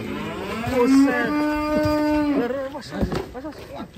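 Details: A large show cow of about 1.3 tonnes at a cattle contest in Indonesia gives one long, steady, low moo lasting about two seconds, followed by rustling and handling noises.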